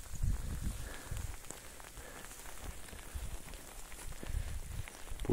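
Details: Low, irregular thuds and rumbling outdoors with a faint murmur of voices, and no animal call stands out.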